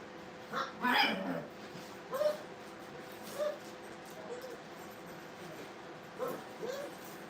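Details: Brittany puppies at play in a training kennel give faint, brief yips and whimpers scattered irregularly through the clip, the loudest near the start, over steady quiet room noise.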